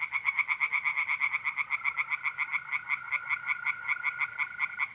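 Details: Pond tree frogs singing through a mid-April night in North-East Italy: a brisk, regular train of harsh croaks, with a long even trill of mole crickets entering after two seconds and holding steady.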